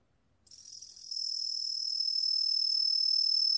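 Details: Truljalia hibinonis tree cricket, from the National Institute of Biological Resources 2020 set: after a brief silence, a continuous high, pure trill swells in and holds steady, growing louder to the end.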